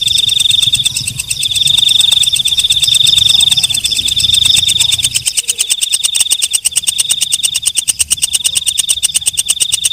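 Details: Walang kecek, a night katydid, calling at night: a fast train of dry, ticking pulses runs throughout, over a thin, high, steady ringing tone that swells and fades in long stretches.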